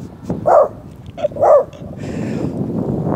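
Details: A Shih Tzu outdoors barks at a fake deer decoy it seems to take for another dog: two sharp, mid-pitched barks about a second apart over a steady hiss.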